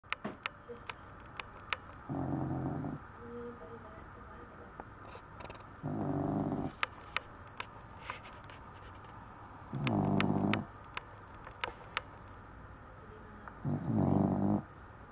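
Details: Cavalier King Charles Spaniel (Canis familiaris), snoring.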